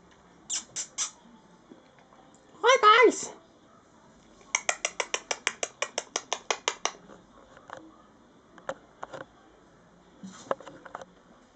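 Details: Four-week-old brindle Mastiff puppies, averaging eight pounds each, give short squeaky yelps, one longer wavering whine, then a rapid run of about fourteen sharp high squeaks over two seconds, followed by scattered faint peeps and Italian-language chatter nearby.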